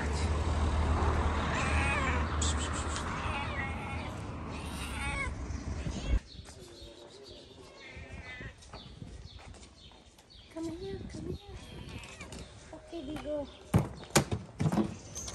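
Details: Stray street cats in Morocco, a big-nosed cat being harassed by a ginger cat named Ginger; long, wavering, drawn-out meows fill the first six seconds, then a low engine rumble with a few shorter, fainter cries near the end.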